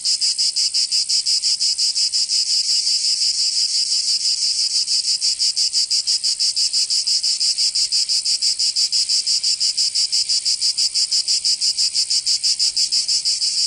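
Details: In the Provençal summer of southern France, cicadas keep up an intense metallic buzz, beating in fast, very regular pulses of roughly three per second throughout.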